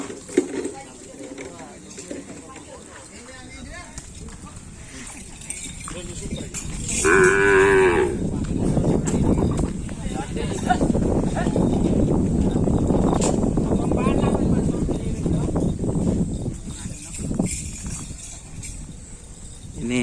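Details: Cattle at karapan sapi bull-race training, preparing for the HUT Jet Matic Foundation race: a short harmonic moo partway through, then a long stretch of loud low rumbling with clanking like cowbells and people talking.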